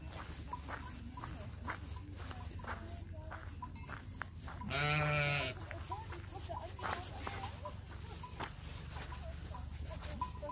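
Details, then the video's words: Early-morning sheep flock in Switzerland, Matterhorn area, moving off to find food: a single loud, trembling bleat stands out midway over a constant low rumble, scattered bell tinkles and shuffling. "양들의 합창"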